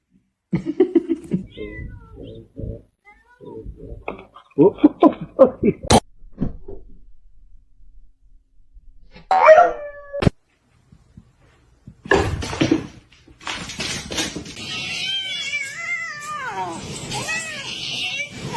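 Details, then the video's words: A pet cat "talking": drawn-out, wavering meows with rising and falling pitch fill the latter part, following earlier stretches of human speech, laughter and short clattering noises indoors. "funny cats talking"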